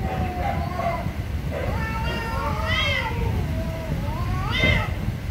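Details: Very angry cats meowing loudly: several drawn-out, wavering meows with rich harmonics overlap, ending in a sharp rising-falling cry near the end, over a steady low rumbling background.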